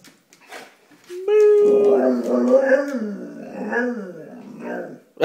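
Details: Female pet dog giving a good morning howl indoors because she is hungry and wants food: a steady, sustained tonal note for about a second, then wavering, rising and falling moaning sounds in a small room.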